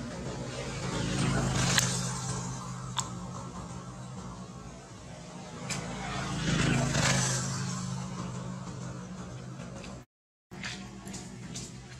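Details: Vehicle rumble and revving with scattered clicks and a brief silent gap, no animal calls heard.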